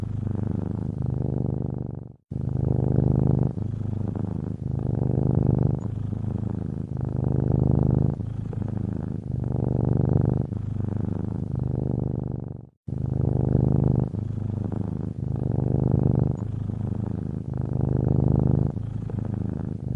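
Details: A sleeping house cat in a cozy Ukrainian cottage purrs contentedly, a low vibrating rumble in regular breath-linked bursts, broken by two short silent gaps.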